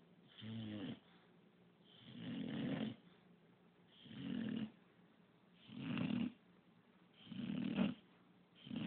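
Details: Snoring English bulldog called Pup, a constant snorer, produces five harsh, gurgling snores in a steady rhythm, one every one and a half to two seconds, some with a bubbly rattle at the start.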